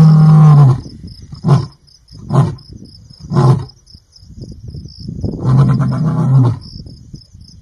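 A lion roars with deep, rumbling bellows broken by short grunts, while crickets trill steadily behind.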